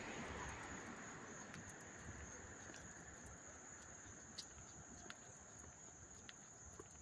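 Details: Crickets chirping up close in Hastings-on-Hudson, New York, on August 13, 2024: a steady, thin, high ringing trill holds throughout, with a rapid pulsing chorus above it and a soft low rumble beneath.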